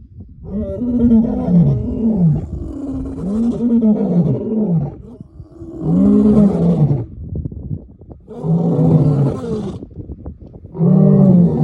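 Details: Lion disturbed from sleep giving a bout of deep, moaning grunts, each swelling up and then sliding down, about five calls spaced roughly two to three seconds apart with short quiet gaps between.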